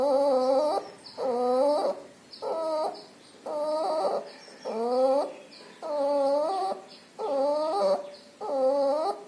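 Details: Whistling, whimper-like breaths from a pneumonia- and distemper-infected puppy with nasal discharge, eight short, clean tonal bursts in nine seconds, evenly spaced, over a quiet steady high background tone.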